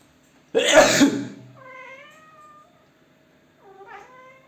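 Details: A pet cat gives one sharp, breathy sneeze, then two short, soft meows about two seconds apart, as if answering it, in a quiet room.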